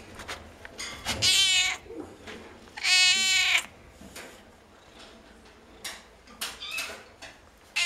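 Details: Cats at a veterinary clinic, calling noisily: two strong, wavering meows about two seconds apart, each nearly half a second long, followed by softer clicks and faint shorter cries.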